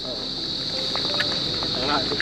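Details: Cicadas (kuliglig) in the late afternoon in the Philippines: a loud, steady, high-pitched buzz runs unbroken through the whole moment, with faint voices underneath.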